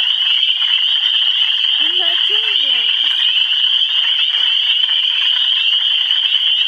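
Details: Frogs in Michigan calling together as a dense, unbroken chorus of high, shrill trilling that holds steady throughout, with a brief low human voice sliding up and down near the two-second mark.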